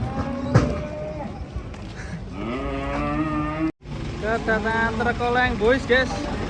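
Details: Cow giving a sustained low moo lasting over a second in its middle part, overlapped by people talking and some mechanical background noise.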